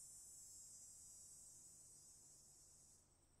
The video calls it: Cicadas Buzzing